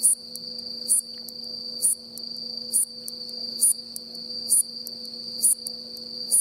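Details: Hayashi-no-umaoi bush katydid with worn wings singing on an October 2017 afternoon in farmland on Mishima island, Hagi, Yamaguchi, Japan: short, very high, bright pulses, a swee-chon, repeated roughly every second over a steady high insect hum.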